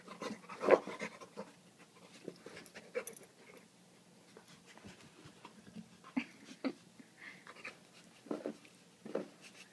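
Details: Dog indoors, happily playing with a favourite rock he pulled from a creek; soft breathy panting and snuffling bursts, with a few sharper noisy puffs spread through the recording and quiet room sounds between.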